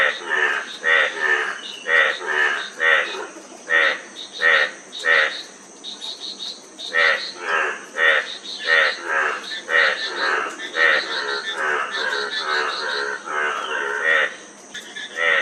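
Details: A dense frog chorus of rattling, pulsed croaks packed closely together, several callers overlapping without pause over a constant high background hiss.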